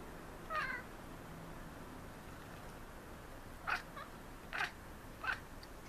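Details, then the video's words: Maine Coon cats, three pets, chattering while watching city birds: a brief chirpy call early on, then three quick clipped bursts in the final two seconds over faint background hum. "Cute Maine Coons chattering at city birds"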